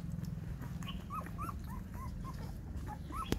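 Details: Mother dog nursing six puppies, with soft high squeaking whimpers in a rapid repeated series, each a short rising-falling note, above a constant low hum and a sharp click near the end.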